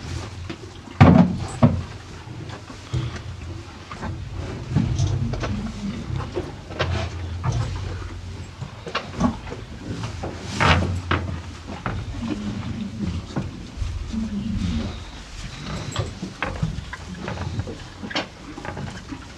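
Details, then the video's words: Two cows eating hay on a farm: irregular crunching and rustling bursts of chewing, with a low background rumble and a sharper knock near the start. "TWO CUTE COW EAT HAY!"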